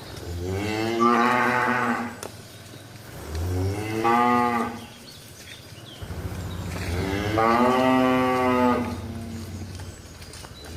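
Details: Tame cows moo in a village, three drawn-out lowing calls with rich stacked harmonics, the last one longest, separated by quiet pauses with faint background noise.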